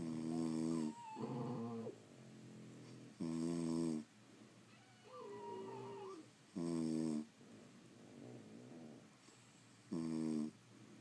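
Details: French Bulldogs asleep at home give a steady run of four harsh, rattling snores about three seconds apart. Softer breathing and a wavering whistled wheeze fill the gaps.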